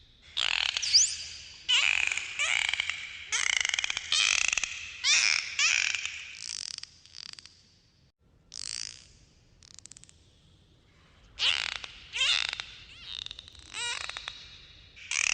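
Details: Bottlenose dolphins underwater give a rapid series of squealing, sweeping whistles and buzzy pulsed bursts, about one each second; dolphins produce clicks and whistles to communicate.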